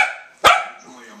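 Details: A dog barking at dogs on television during the Westminster Dog Show: one sharp loud bark following the fading end of another, over quiet TV commentary.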